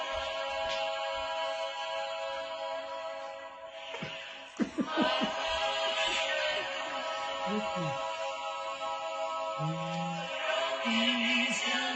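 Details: Sustained electronic music with brief bursts of laughter and voices, and no clear animal calls.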